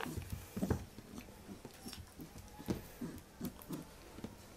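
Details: Playful Pembroke Welsh Corgi puppy wrestling with a hand indoors, making low rumbling growl pulses repeated about every half second, mixed with muffled bumps and scuffling.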